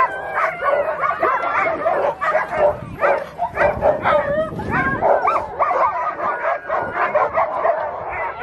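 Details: Two Alaskan Malamutes, a mother and her daughter, at sled dog training in Farran Park, Ontario, in December 2020; dense overlapping howls, yips and woo-woo calls from excited dogs, with people talking and clapping.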